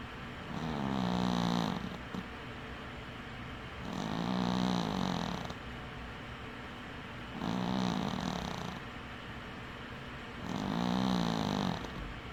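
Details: Winky the dwarf cat sleeps with one eye open, snoring four times at an even pace of about one breath every three seconds; each snore is a low, buzzy rumble topped by a soft airy hiss.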